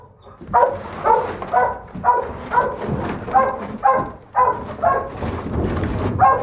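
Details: Smallest female Doberman Pinscher pup of the litter, a holdback and third pick, gives sharp, high-pitched barks about twice a second in a steady run, with a low rumbling background underneath.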